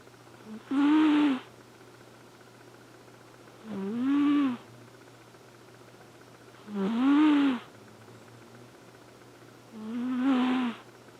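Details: Elfin, a male Flame Point Siamese cat, snores while asleep: four drawn-out, nasal, buzzy snores, each about a second long and gently rising in pitch, spaced roughly three seconds apart, over a steady low electrical hum.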